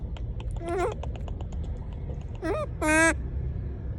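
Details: A monkey calling to people gives three short, harmonic, wavering cries over a low background rumble.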